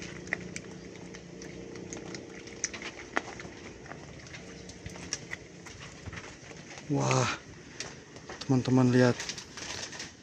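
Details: Two young Etawah goat kids at their pen, being fed banana and milk, give two short, quavering, nasal bleats over a quiet background.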